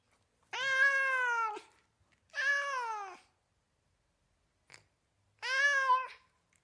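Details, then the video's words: Cat meowing in a mix of kitten meows: three rich harmonic meows, each about a second long with a slight downward slide, a faint short click in the pause before the last one. "Мяуканье кошки Звук мяукающей кошки в высоком качестве"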